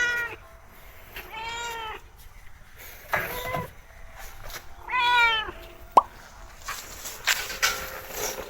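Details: Friendly, talkative mother cat, a rescued farm cat, purring throughout: several clear harmonic meows at about 0.2, 1.5, 3.2 and 5 seconds, rising then falling, with a sharp click-like snap near 6 seconds and soft rustling.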